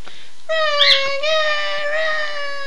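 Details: A pair of pet dogs set to howling by their owner's phrase "Run Guy run"; one smooth, even, sustained howl begins after a short pause, with a quick higher yip riding over it early on.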